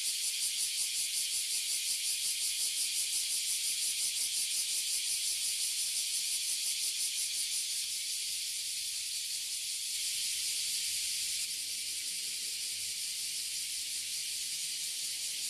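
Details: Japanese Oily Cicadas and Bear Cicadas (Abura Zemi, Kuma Zemi) in a Toyohashi City tree: a relentless shrill pulsing buzz that smooths out midway, with a faint low hum entering in the background.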